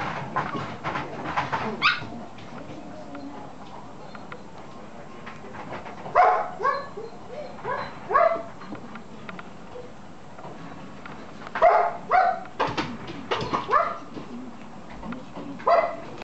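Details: Male red Toy Poodle puppy, 53 days old, born 1 July 2014, filmed 23 August in Chiba, Japan; high whining whimpers and short yips come in clustered bursts separated by quiet pauses, with faint background rustling.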